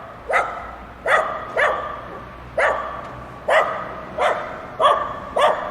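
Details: Single crisp barks from dogs playing together, spaced fairly evenly about every half second to second, seven in all, against a quiet background.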